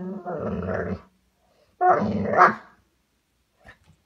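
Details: A golden retriever gives two rough, harmonic grumbling growls, the first about a second long and the second rising into a whiny, moaning peak, followed by near silence and a faint click.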